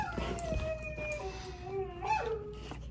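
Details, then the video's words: Pet dog reacting to dogs on a TV screen with long, drawn-out tonal whines that slide down and rise again, a soft howling quality, background music underneath. "the talking doggo watches her tv show. funny dog wants to talk with the dogs on the screen"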